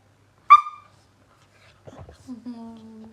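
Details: Puppy wanting to play and biting gives one sharp, high yelp, then after a pause a low, drawn-out whine with soft snuffling, in a quiet room.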